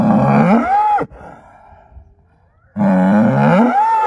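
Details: Angus bull used as a herd sire, sired by SAV Harvestor 0338 and born in spring 2018: two loud bellows that start low and sweep sharply upward into a strained high ending, separated by a short quiet gap.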